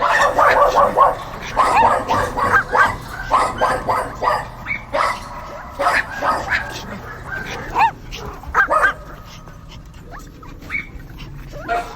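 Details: Dogs barking in a fast, dense run early on, then sparser scattered barks and a few whiny yelps, the barking thinning toward the end.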